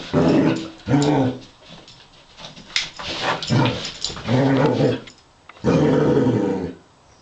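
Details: A female Basset Hound fighting with a robot dog gives deep, harmonic growling barks in long bursts with short pauses between them.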